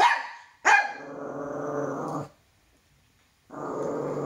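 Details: A male toy poodle frightened by his own shadow lets out one sharp bark that slides into a steady growl, falls silent for about a second, then starts growling again.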